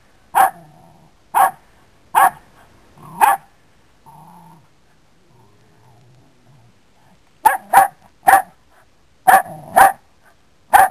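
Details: Dog barking in short sharp bursts, four spaced barks, a pause with soft low sounds, then a faster run of barks in pairs and clusters; no other clear sounds.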